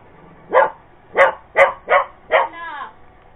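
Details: Purebred Cocker Spaniel barking at a Roomba, five rapid barks in quick succession, followed by a short human voice at the end.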